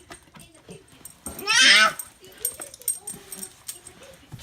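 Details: Pet dog kept with a baby in a home, being coaxed to come out: one brief high whining squeal with stacked harmonics, rising then falling over about half a second, amid soft household noise and quiet talking.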